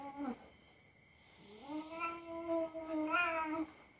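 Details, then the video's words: House cat tolerating rough play from a young dog, with a brief falling cry, a pause, then a drawn-out low caterwaul that rises slightly and wavers for about two seconds, with faint scuffling. "Our young dog and our cats are fighting each other. Just for fun."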